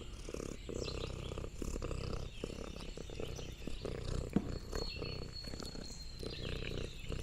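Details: Lexi, an orange tabby cat, exploring a countryside farm. A steady low rumbling purr runs throughout, overlaid with soft clicking and crunching from chewing and crinkling leaves, plus a faint high whistle near the end.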